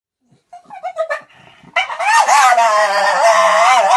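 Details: Female blue Staffordshire Bull Terrier, a pet, throwing a tantrum: a few short yelping whimpers, then a loud, sustained, wavering whine-howl that rises and falls continuously.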